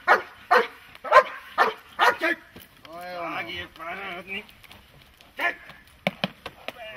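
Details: Dog at protection training barking in a short series of sharp barks, then a drawn-out voiced sound in the middle, followed by a few more scattered barks.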